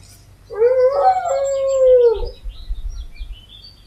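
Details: Dog howling from a howl compilation: a single sustained tonal howl lasting under two seconds, slightly wavering then falling at the end, followed by quiet low rumbling.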